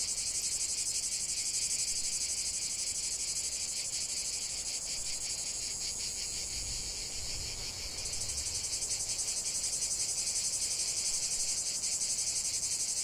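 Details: Cicadas in nature produce a loud, high rasping drone with rapid pulses; the tone changes abruptly around eight seconds as the chorus shifts, with a faint low rumble in between.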